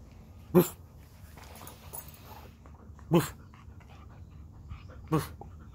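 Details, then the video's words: An Alaskan husky playing ball lets out three short, deep barks spaced about two and a half seconds apart, each a sharp single burst, in a quiet indoor room. "Funniest and cutest dog Alaskan husky Playing ball"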